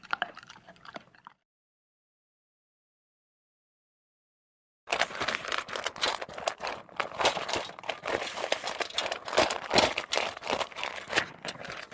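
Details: A short burst of rustling gives way to silence, then steady crunching and crinkling noises like chewing. No animal calls or voices are heard.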